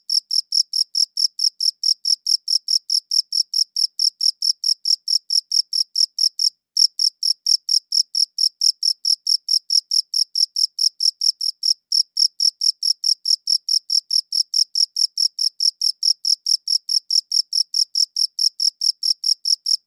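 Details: Chirping crickets recorded cleanly with a good audio recorder; sharp, high trilled pulses come about four per second, briefly interrupted twice by very short gaps, nothing else audible.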